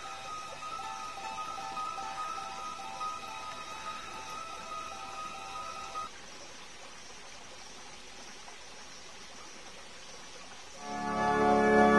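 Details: Steady tonal music with held notes fades after six seconds into a quiet hiss, then a louder burst of instrumental sound rises near the end.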